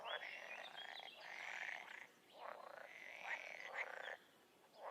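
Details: Wild frog calls, long drawn-out nasal croaks lasting about half a second to a second each, separated by brief pauses, with fainter calling frogs behind and a few high chirps.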